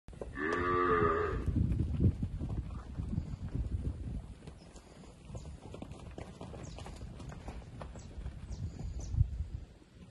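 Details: Heifers 15 to 16 months old, 55 animals offered for sale in Indiaporã, recorded 12/02/24. A single low, harmonic moo lasts about a second at the start, followed by rustling, thumps and scattered farmyard noise.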